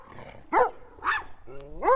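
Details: A young red Doberman Pinscher, off leash, barks at a tiny Chihuahua and a pet rat: three sharp, harmonic barks, the last rising into a yelping whine.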